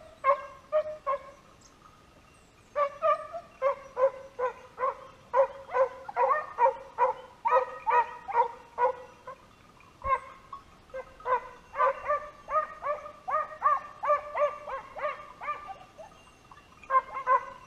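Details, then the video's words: Pack of hunting dogs chasing a wild boar towards a hunter's stand, the 'ladra': several dogs give rapid, repeated barks in bursts, briefly pausing near the middle where a single sharp crack sounds, then barking resumes. "Se escucha la ladra"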